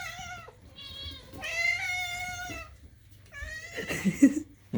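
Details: Pet cat begging for food with kitten-like cries indoors; loud, drawn-out, steady meows, one lasting over a second, followed by a shorter cry mixed with scuffling noises.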